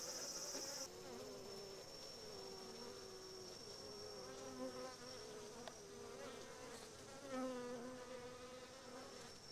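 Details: Japanese honey bees attacking a Japanese hornet, which the bees cook inside a bee ball; steady dense buzzing hum with layered wingbeat tones throughout, a thin high whine at the start, brief louder surges.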